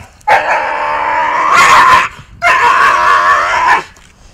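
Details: Akita Inu showing aggression with biting during rehabilitation work between dog and trainer, rated 6.5 on a 1-10 social-risk scale; two long, harsh, loud vocal bursts of roughly a second and a half each, separated by a short gap.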